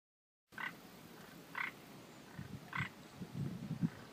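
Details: Frogs at Hanahasu Park in Minamiechizen, Fukui Prefecture, Japan. Short, sharp, mid-pitched croaks repeat about once a second, with softer low grunting notes underneath.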